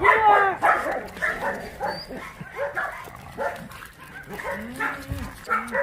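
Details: Dogs at an abandoned-dog shelter in Yangsan barking in a chorus of overlapping, uneven barks with harmonic, slightly hoarse tones. The barks come in bursts about every half second, with a man's voice faintly mixed in.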